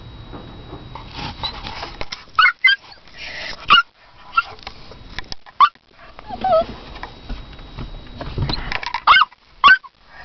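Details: Fifi, a toy poodle barking for her owner, lets out a long string of short, high-pitched yaps. Some come in quick pairs and others stand alone, with soft whiny sounds and rustling between them.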